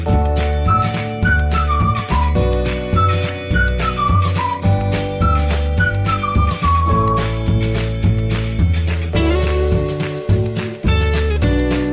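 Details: Loud upbeat music throughout, with a steady beat and a high flute-like melody; no animal sounds are heard.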